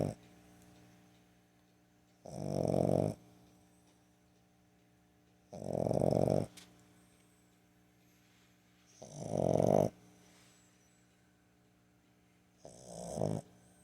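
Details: Boston Terrier puppy, 15 weeks old, asleep indoors during an afternoon nap on September 21, 2022; four loud rasping snores, each about a second long, come roughly every three and a half seconds with quiet breathing between.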